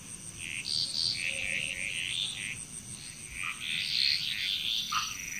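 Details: Frog chorus in Bali, Indonesia: many overlapping croaks and trills in bursts, a dense mix of repeated notes rising and falling in loudness, with a steady high insect whine running throughout.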